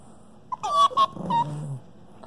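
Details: Pet Arctic fox Asher calling to River: three loud, clipped, nasal yelps in quick succession, then a lower, hoarse trailing sound, indoors.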